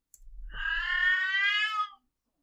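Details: A domestic cat gives a drawn-out yowl-like meow, a mental-confusion type, held steady for over a second before fading, then meows differently on seeing she is being filmed.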